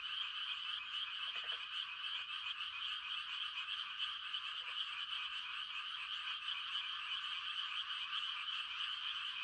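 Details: Steady chorus of frogs giving mating calls on a quiet rural night in rice-planting season, high fast trills overlapping without pause, plus short lower croaks around one and a half and four and a half seconds.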